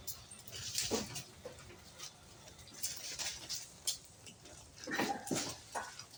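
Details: Goats on an improved-breed goat farm, giving short harmonic bleats near the first second and again around five seconds, among rustling, clattering and brief voices in the pen.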